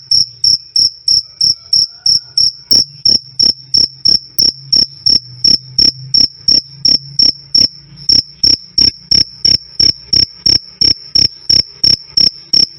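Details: Cricket chirping "krik krik", loud and clean, meant as master audio for songbirds: bright high-pitched pulses about three per second, unbroken through the stretch, with a faint low drone underneath.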